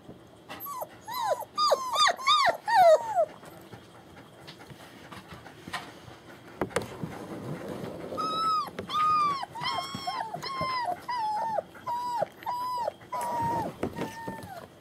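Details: German Shepherd puppies born 28 January 2015 at a kennel in Mayo, Florida, recorded 21 February 2015: bursts of high arched whining yelps, a quick run of four, a pause with rustling, then a steady series repeated about every half second.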